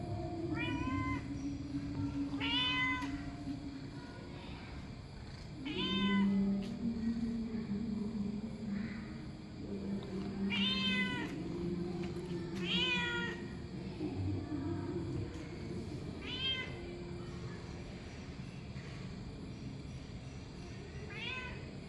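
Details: Domestic cat meowing repeatedly, short bright rising-falling meows about every two seconds over a steady low hum, with a person speaking Marathi to it and other background noise.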